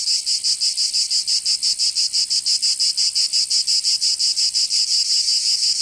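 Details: Cicadas singing in summer in Provence, southern France: a dense, harsh high buzz pulsing steadily about three times a second, no other sounds.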